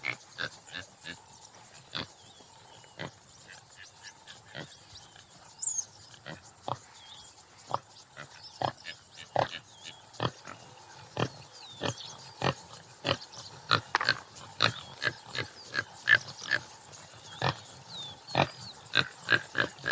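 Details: Topi antelope of the subspecies Damaliscus lunatus jimela: scattered short snorting grunts that start sparse and grow louder and more frequent toward the end, over soft background birdsong.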